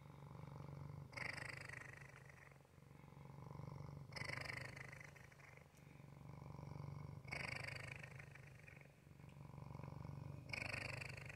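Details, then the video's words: Continuous deep purr from Waffle, a male pet cat. The vibrating hum rises and falls with each breath, about every three seconds, with four stronger, harsher surges across the stretch. "Waffle's purr"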